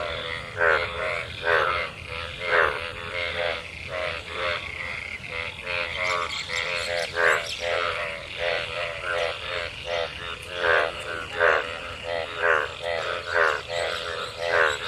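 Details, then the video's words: Many frogs calling in rain-gathered water after monsoon rain while mating: a dense chorus of pulsed, rattling croaks repeated about once a second, overlapping one another, over a low rumbling background. "Frog Sounds after monsoon rain,Sounds of toad Croak croak"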